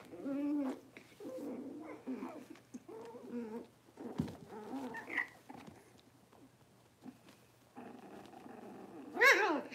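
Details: Cavalier King Charles Spaniel puppies, six weeks old, complaining during deworming and toenail trimming in an indoor pen; repeated loud, wavering whimpers and whines in short bursts, a rising squeal at the end, some handling noise between.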